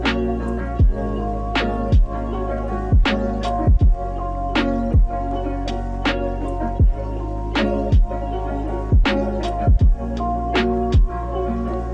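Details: Hip hop backing track with a strong bass line and regular sharp drum beats roughly every second, with no animal sound heard.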